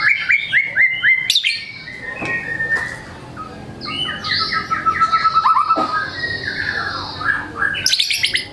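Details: White-rumped shama singing varied material to encourage reluctant birds: runs of repeated whistled slurs, scratchy buzzy notes and a sustained high tone, over faint background noise.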